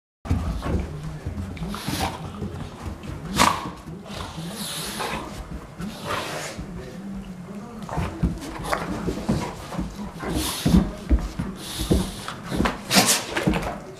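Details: Golden Retriever play wrestling in a rather subdued bout: low grumbling growls and snorts mixed with scuffling, thumps and sharp noisy bursts throughout, with some human speech in the background.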